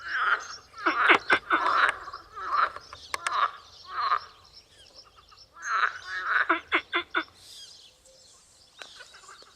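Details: Tyrrhenian tree frog (Hyla sarda) calling in loud bursts of quick, rasping pulsed notes, grouped in clusters that repeat every couple of seconds with short pauses between, over a faint high-pitched chirping background.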